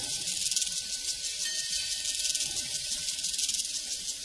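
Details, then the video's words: Crickets on a prairie in a dense, steady, high-pitched shimmering chorus with fast pulsing texture, a faint tonal ring held underneath. "Sounds from a Prairie Crickets and Cowbells"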